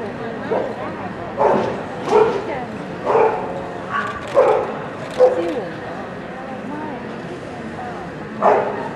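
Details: American Cocker Spaniel at the 204th FCI dog show, held at the CSL pet and aquarium expo, giving sharp, mid-pitched barks in loose bursts about once a second, with steady crowd chatter and hall noise behind.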